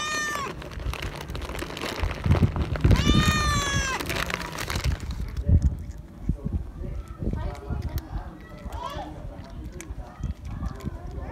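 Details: Scared stray cat begging for more food and following when the feeder leaves: a short harmonic meow, then a longer, drawn-out wavering meow about three seconds in, over a person's voice and rustling outdoor background noise.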